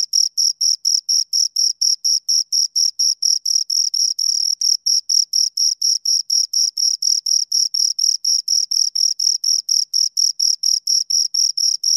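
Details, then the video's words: Pair of crickets producing a continuous train of evenly spaced, shrill chirps, about four pulses a second, over a silent background. "Two Crickets Chirp Sounds for Two Hours"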